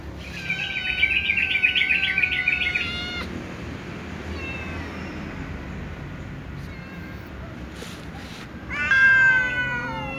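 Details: Little cats and a tom cat meowing loudly before eating; a long wavering high meow with a trill-like flutter, then a quieter stretch with faint calls, and a final strong meow near the end.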